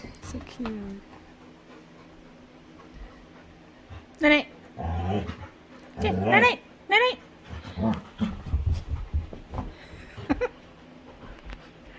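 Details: Winry, a female Labrador retriever, playing with her owner and active again, gives short high rising whines and yelps around the middle of the clip, with a person talking between them.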